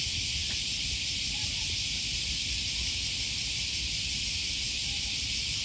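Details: A steady, hissing drone of cicadas fills a summer morning walk beside the Okawa River in Osaka, Japan, in early August 2020. Soft low traffic hum and a brief faint voice sit beneath.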